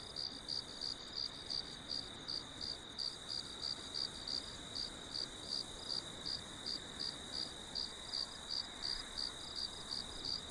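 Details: Steady cricket chirping for relaxing, sleeping or meditating: high, ringing pulses repeat almost three per second in an even rhythm, with a low wash of background hiss underneath.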